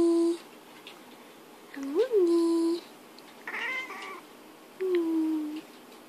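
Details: A British Shorthair cat talks back to its owner, who coaxes it to meow. It gives several drawn-out meows, one rising then falling, with a brief human voice between them.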